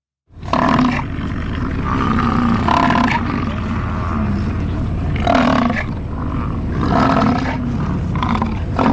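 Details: An American bison (Bison bison) gives deep, guttural, lion-like roars in long rumbling bursts, several over a few seconds, while a person's voice reacts over the top.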